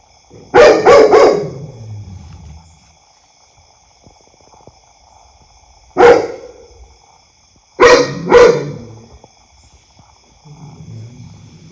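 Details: Household dog barking loudly: a cluster of three rapid barks, a single bark, then a pair, with silent gaps and echo; a soft low rumble near the end.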